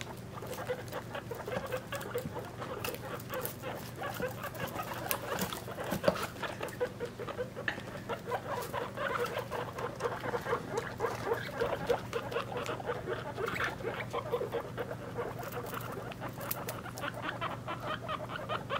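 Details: A family of guinea pigs, mother with three-week-old young: soft, continuous patter of small squeaks and shuffling runs throughout, fairly quiet, over a constant low hum.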